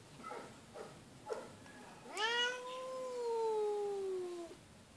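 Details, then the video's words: Feral female cat at an animal shelter, loudly meowing: one long drawn-out meow about two and a half seconds long. It rises sharply, then holds and slowly falls, after a few faint short sounds. "The Incredible Meowing and Hissing Cat"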